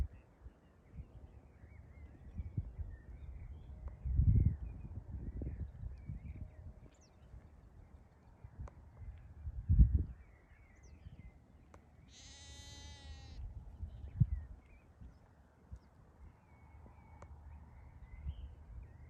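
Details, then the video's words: Farm sheep giving a single wavering, quavering bleat of about a second midway through, amid dull thumps and bumps, faint bird chirps and low rural background noise. "sheep sound"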